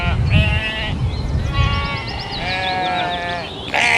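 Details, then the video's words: Domesticated sheep bleating: a short nasal call, then a longer drawn-out wavering bleat, with quick high chirps in the background and another loud bleat at the end. "SHEEP SOUNDS"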